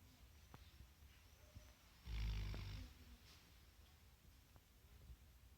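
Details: Sleeping Alabai, a Central Asian Shepherd Dog dozing on the job, lets out a single heavy, throaty snore lasting nearly a second, deep and rough, over soft ambient noise.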